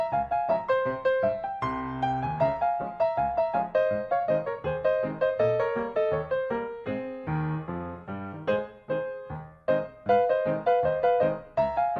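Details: Piano music plays throughout with a steady rhythm of repeated notes, and no animal sounds are heard.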